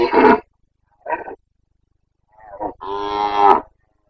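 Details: Carpathian red deer stag roaring during the breeding season in Bucovina, September 2022: a rough bellow, a short grunt, then a clear, strongly tonal, drawn-out roar rising in intensity at the end.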